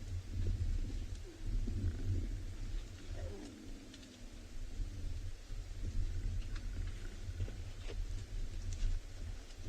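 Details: In Tswalu Kalahari Reserve, South Africa, on a sunrise drive on 13 June 2020, a grumpy, very thirsty lioness gives a deep, rumbling growl to warn off cubs that come too close wanting play or grooming.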